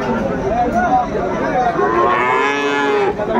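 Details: Friesian cattle at a busy Khulna cattle market during price haggling, September 2024; a single sustained, level moo about a second long rises out of continuous background chatter and crowd noise.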